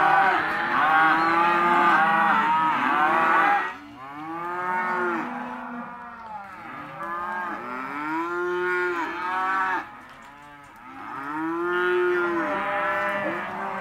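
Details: Male and female Hereford and Careta calves of lot 9 at sale: a loud chorus of overlapping moos for several seconds, then individual arching bellows separated by quieter gaps, and a final swell of calling.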